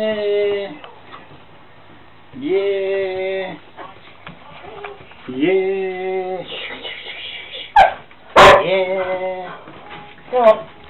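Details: Dog named Auntie Mia barking constantly during playtime with Ivor; three long, level, harmonic yelping calls about a second each, separated by pauses, with sharp clattering knocks near the end and faint background sound.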